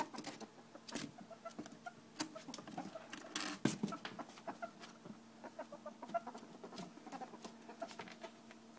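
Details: Female domestic ferret hunting for another ferret she dislikes, which is in a cage above, wanting to attack and chase him away; soft rapid clucking chuckles in irregular bursts, with scratching and patter of movement.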